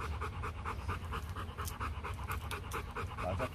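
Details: Rottweiler panting at a breeding kennel in Vietnam, where champion Loki was mated with a female from Hưng Yên; quick, slightly uneven huffing breaths repeated through the clip, soft background noise.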